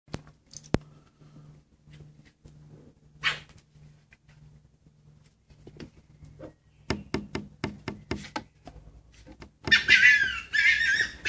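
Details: Red fox cubs being noisy in a back garden in Camden, UK, heard through a closed window: scattered knocks and a quick run of sharp ticking taps, then a final burst of shrill, wavering squeals lasting about a second and a half.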